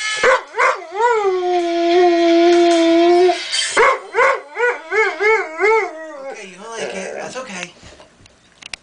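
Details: Charlie, a household dog that howls only at a certain phone ringtone, gives a long steady howl, then a series of short rising-and-falling wavering howls, trailing off into quieter whines, with ringtone music and a voice in the background.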